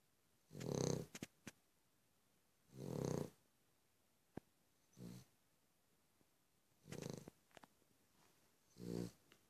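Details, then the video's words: Cavalier King Charles Spaniel snoring steadily. Deep rattling breaths come roughly every two seconds and vary in strength, mixed with small clicks and snuffles. "Cavalier King Charles Spaniel - snores, snores, snores"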